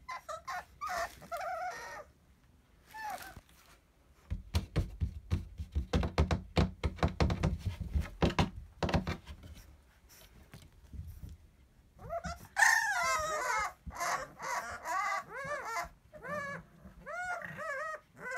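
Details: Kennel Club registered Bulldog puppies indoors, knocking and shuffling noises first, then a run of high, wavering whines and squeaky yelps rising and falling in quick succession near the end.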